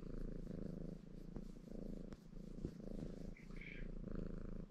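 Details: Purring ginger Maine Coon cat Baron, content and busy washing himself indoors; deep even purr pulsing in long breaths, interrupted by a couple of faint clicks and a short higher squeak.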